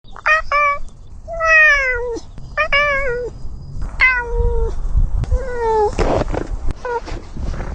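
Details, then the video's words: Domestic cat giving a run of short harmonic meows, about eight calls, each level or gently falling and under a second long, ending in a few scattered noisy bursts. "Top 5 Cutest Cat Sounds"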